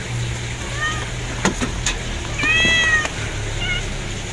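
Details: Kittens giving a few short mews, one thin early cry then a louder drawn-out meow near the middle and a brief squeak at the end, with clicks and low hum behind.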